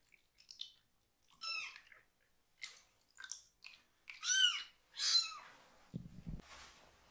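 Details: Foster kitten, one of three siblings, crying loudly during a bottom wash; scattered brief mews build to two strong, downward-curving meows, followed by a low thump and handling noise.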